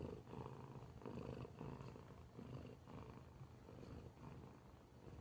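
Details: A cat sleeping and snoring, its low raspy breaths pulsing in slow, even waves about once a second, quiet and rumbling throughout.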